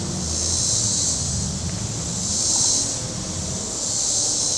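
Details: Cicadas calling beside Table Rock Lake, southern Missouri, on a warm Saturday: a hissing, high buzz swelling in slow waves about every 1.5 seconds, over a low motor rumble from boats on the water.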